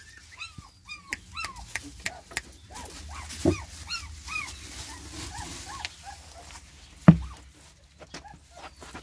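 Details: Newborn puppies of a Border Collie and Spanish Mastiff cross whimper steadily, a string of short arched whines repeated roughly every half second, over a low hum with a couple of sharp thumps.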